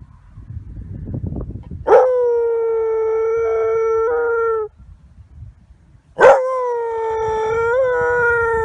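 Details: German Pinscher named Lasse howling in response to a siren: two long, steady, mid-pitched howls, each lasting about three seconds with a slight waver near the end, separated by a brief pause, with low rumbling before the first.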